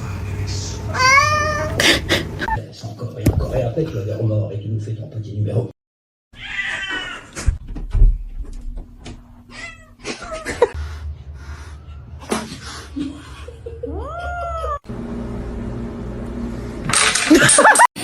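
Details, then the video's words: Domestic cats meowing amid household chatter: a drawn-out meow early on, more rising and falling meows scattered later, mixed with people speaking and clattering noise. "cats meowing"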